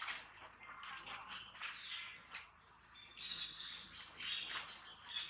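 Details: Baby monkey Tobais throwing a crying tantrum while roughly handled by its mother Toma: harsh, high-pitched screeching bursts, rising and falling in loudness, coming in rapid waves with only short pauses.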